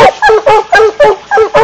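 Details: Black and Tan Coonhound giving loud, harsh, rhythmic bawling barks, one about every quarter second, each a short bursting note with strong overtones.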